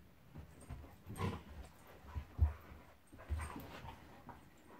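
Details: Monty, a pet Golden Retriever, play fighting with Eric the Labrador: low rumbling growls in short uneven bursts, with a few soft whimpers and panting breaths between them.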